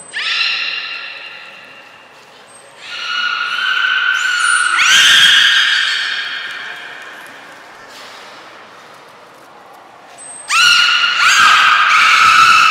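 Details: Training session with belugas Gray, Nana and Mirai, Port of Nagoya Public Aquarium, 10 February 2024. Several long harmonic squeals, each sliding up at its start. Brief thin high whistles come just before the first and last squeals, echoing in the hall.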